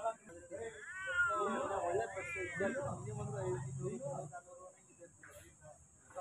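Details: Domestic cat meowing, two drawn-out wavering meows with rising and falling pitch in the first two seconds, followed by low murmuring sounds and a steady high electronic whine in the background.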